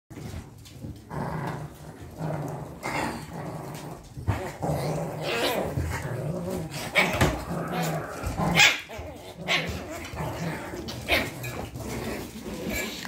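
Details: Chihuahua puppies at a home kennel in Simferopol, Crimea, play together, trading small growls and sharp, high yips in scrappy bursts.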